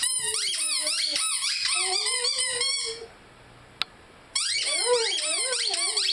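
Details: Lyle the Rhodesian Ridgeback singing with his favorite squeaky toy: squeaks and wobbling howls for three seconds, a quiet gap broken by one click, then more quavering howls and squeaks.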